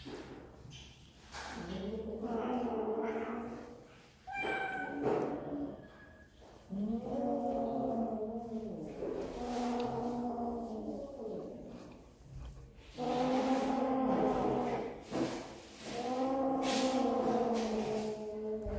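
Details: Kittens at snack time meow repeatedly: a series of long, bending, plaintive cries, some slightly rising then falling, with short pauses and a few clicks between them.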